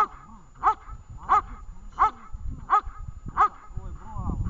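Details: Dog named Vesta during a training session in Horlivka, recorded 20 July 2019: five sharp, evenly spaced barks about two-thirds of a second apart, with faint handling noise and a brief rustle at the end.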